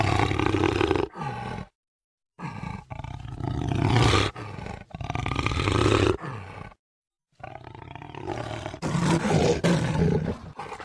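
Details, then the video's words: Jaguar roaring: deep, harsh, rasping bursts of about a second each, rich in low tones and overtones, broken by two abrupt dead-silent gaps, the final stretch the loudest and most strained. "Jaguar sound"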